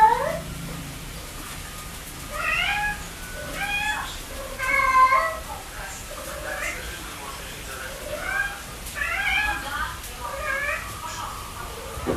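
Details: Cat meows heard indoors, several overlapping wavering mews of moderate loudness, some short and some drawn out, scattered through the recording with a faint room hum beneath.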